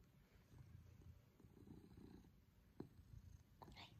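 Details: Low, pulsing purr from Pippin, a male Maine Coon, during an affectionate cuddle at home with his family, with a faint click and quiet human voice near the end.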